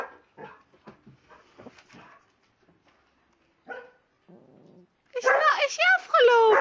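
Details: Kuvasz dog indoors answering a wolf howl played on a computer; quiet voices and soft sounds first, then loud wavering, sliding howls with rich harmonics in the last seconds.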